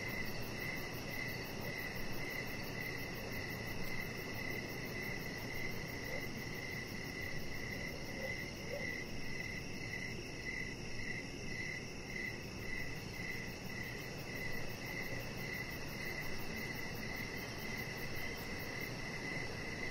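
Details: Outdoors on a deck in the evening, crickets keep up a continuous run of high, evenly spaced chirps, with a broad low background noise and no other clear sounds.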